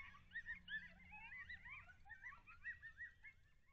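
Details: Early-morning yelping coyotes recorded by a wildlife cam near Lake Alan Henry, Texas, on 18 August 2021: a rapid jumble of short rising and falling yips and barks from several animals overlapping, moderately loud over a low background rumble.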